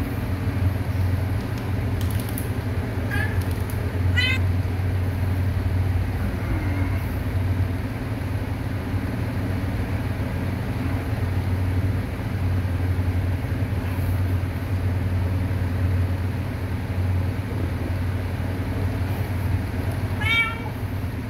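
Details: Kitten meowing a few times, short high mews near the start and another near the end, partly buried under a heavy low vehicle rumble with some human speech.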